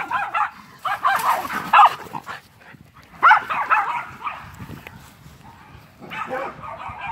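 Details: Miniature Schnauzer dog, described as feisty, vocalizing while playing: bursts of harsh, growly barks and yips in clusters around one to two seconds long, separated by quieter pauses.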